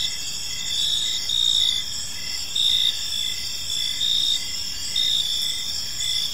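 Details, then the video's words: Crickets in a peaceful park at evening, bright pulsing chirps recurring at short regular intervals above an unbroken high-pitched drone, quiet low background noise. "Cricket Sounds in a Peaceful Park"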